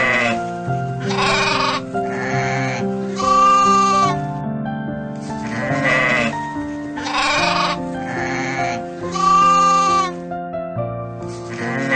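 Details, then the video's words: Sheep bleating over steady background music: several wavering, quavering bleats of about a second each, spaced a few seconds apart, some rougher and some more tonal, with music continuing throughout. "very funny animal sounds cat, dog, rabbit, sheep"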